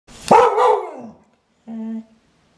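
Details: Clumber Spaniel giving one sharp, loud bark that trails off, followed after a pause by a short, steady, nasal whine in a quiet setting.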